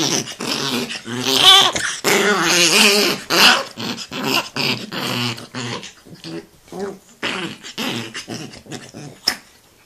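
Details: Angry Chihuahua in a small room, rumbling growls and whiny yelps in bursts that fade toward the end, with a person's voice mixed in.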